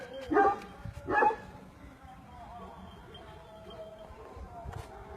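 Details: Aksaray Malaklısı dog on a farm in Aksaray, Turkey, giving two short, deep, harsh barks less than a second apart, then falling quiet while a man calls softly in Turkish in the background.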